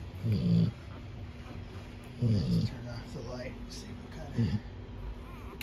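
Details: Sleeping Cane Corso pup under a heat lamp gives deep, throaty snores, three rough bursts about two seconds apart, with faint room noise and a soft whistling tone between breaths.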